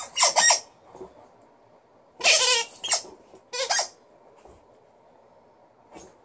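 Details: Female Alaskan Malamute Liza, in good spirits, gives short vocal outbursts: four brief harmonic yowls spaced a second or more apart, each wobbling in pitch, separated by near silence.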